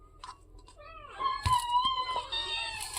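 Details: Cat waiting to be fed fish, several cats present indoors; a long drawn-out meow with a steady tone and bright harmonics, rising then held for about two seconds, with a short earlier call and faint clatter.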